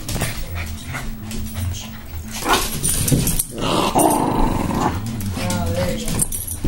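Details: Two pups at playtime indoors, giving low rumbling growls and short grumbles during play, with speech from a television advertisement running loudly in the background.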